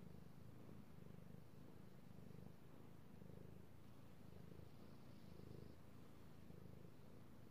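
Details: Male domestic cat purring while being petted, recorded 16 March 2018; steady low rumbling purr with swelling and fading phrases roughly every second, following its breathing, in a quiet indoor setting.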